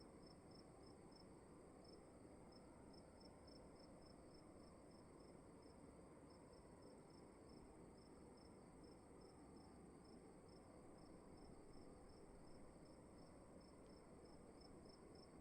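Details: Crickets in a room giving an even train of bright, high-pitched chirps, several each second, against a quiet, steady background hiss.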